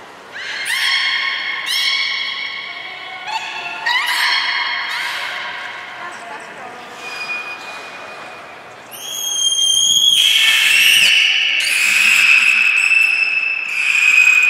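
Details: Captive beluga whales at Port of Nagoya Public Aquarium, 3 February 2019, at feeding and play time. Rising harmonic calls open the clip, then high, steady whistles and bright chirps take over in the second half.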